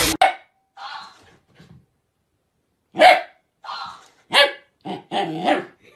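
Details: Puppies at play: scattered short, rough barks and yaps about once a second after a quiet gap, some with a growly edge, loud and close.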